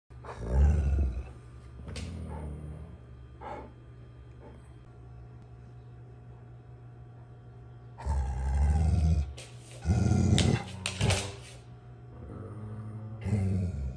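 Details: Alaskan Malamute giving low, grumbling, bear-like 'talking' vocalizations in short bursts of moaning, throaty sound, separated by quiet pauses, with a steady low hum underneath.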